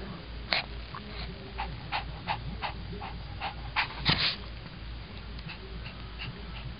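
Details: A Shih Tzu dog reacting to the camera at night, running away then fighting back: scattered short sharp yips and barks, a loud cluster near the middle, over low steady background hum.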